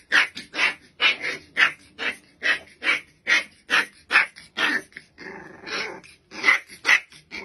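A Rottweiler puppy gives rapid, high yappy barks, a little over two each second.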